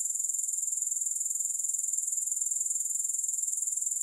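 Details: Soothing grasshopper sound without music: an unbroken high, shrill trill with a fast, regular throb of roughly three to four pulses each second, steady in loudness throughout.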